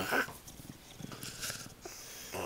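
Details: Playing on a bed, English bulldog Wilbur makes a low, pulsing, purring grunt that rumbles steadily for about two seconds, followed by a short breathy puff.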